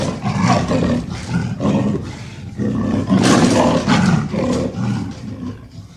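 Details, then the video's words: Leopard growling in long, rough, low-pitched bursts with short breaks between them, harsh and breathy throughout, the loudest surge near the middle. "The sound of the leopard is like a large displacement engine"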